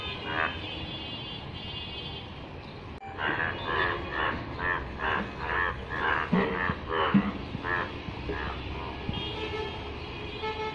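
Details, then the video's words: In rainwater, a yellow frog is silent at first, then begins a burst of rasping, nasal croaks about two per second. The croaks grow uneven and fade near the end, over a constant low hum. "অসাধারণ কণ্ঠে ডাক । হলুদ ব্যাঙ এর বৃষ্টির পানিতে"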